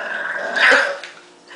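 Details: Marshall, a pet dog, produces a brief grumbling, growly vocalization with a strained tonal middle that swells and then trails off, over a faint steady background hum.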